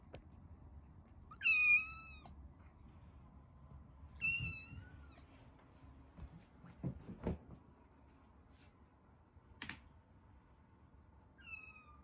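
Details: Domestic cats indoors: two resident tabby cats meeting a rescued kitten for the first time through a cage. Two loud, high, drawn-out meows that slide downward, a shorter third one near the end, and light knocks and household sounds in between.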